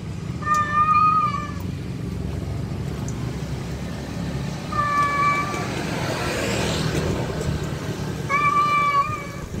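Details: Male cat calling to a wild female: three drawn-out, tonal meows, the first near the start, one mid-clip and a final one near the end, each holding a steady pitch, over a constant low traffic-like rumble.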